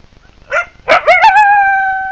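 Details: A brief coyote call from the wild: a short yelp, then a rising yip that breaks into a clear, sustained howl held at an even pitch.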